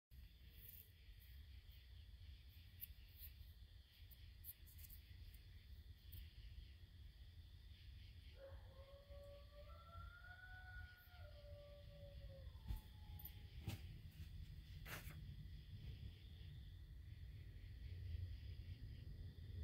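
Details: Coyote at Camp Mortonhouse, 22 September 2023: a single drawn-out howl with harmonics rises and then slides down over about four seconds, faint against a steady low rumble and constant background hiss.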